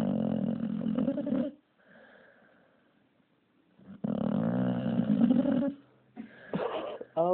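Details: Pup named Gargamel snoring heavily indoors: two long, harsh, rumbling snores of over a second each, separated by a quiet breathy lull, ending in choppy snorting noises.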